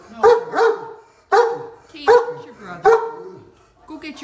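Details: Deaf Great Dane complaining while stuck on a golf cart: paired and single groaning yowls, each sharply rising then sagging in pitch, five calls over four seconds with short pauses.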